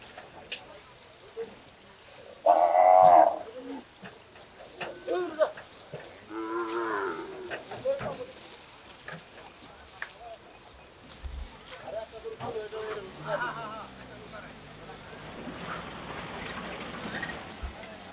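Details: Cattle being unloaded: a few loud, drawn-out harmonic moos, one strong bellow near the start and shorter lowing later, amid excited human voices and shouting with background commotion.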